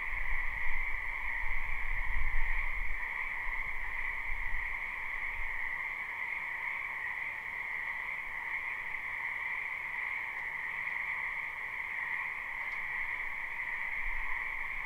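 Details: Dense croaking chorus of frogs from a spring wetland, live and unlooped; the massed calls merge into a constant buzzing drone, with low rumbling in the first five seconds.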